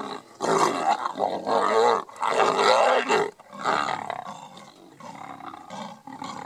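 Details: Lions of a mega pride fight over a buffalo kill in Kruger National Park. Loud, raspy snarls and roaring bursts, each about a second long, follow in quick succession, then fade into softer growls near the end.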